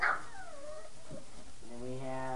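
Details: Five-week-old puppies from a litter of eleven at play after their night-time feeding: a brief, high whine sliding steeply downward, then a lower falling whimper, followed by a person's voice calling out the puppies' names.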